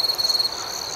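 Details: At night a cricket gives rapid pulsed chirps, about ten quick beats in half a second, then settles into a steady high shrill trill.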